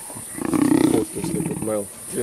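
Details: Young lions of the Kambula pride mauling a male leopard at MalaMala Game Reserve in Africa; a harsh, pulsing growl lasting about half a second, then a brief harmonic cry, over a man's voice.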